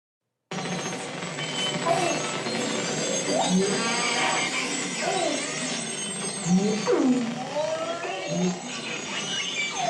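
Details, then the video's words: A couple of belugas communicating exchange rising and falling whistles and chirps over a dense crackle of clicks, sounding like an alien modem. "This is the beluga. This is a couple belugas communicating."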